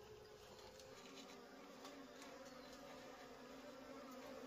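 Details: Wild honey bees during a wild honey harvest: a steady, dense, low droning hum of many bees that holds evenly throughout, with faint clicks above.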